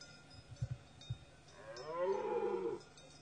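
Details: A dominant stag in rut gives a single drawn-out moaning bellow that bends gently downward. A few low thuds and knocks come before it.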